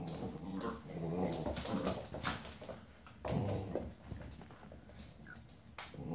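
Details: Old English Sheepdog puppy Dolly, ten weeks old, playing with Maggie and Skye indoors: low rumbling growls and whimpering bursts come in uneven runs, broken by thumps and rustling of play.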